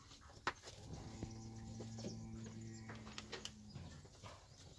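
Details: Fighting bull from a herd of bulls and young bulls gives one long, low, droning moo of about two and a half seconds, steady in pitch, over faint background rustle and scattered clicks.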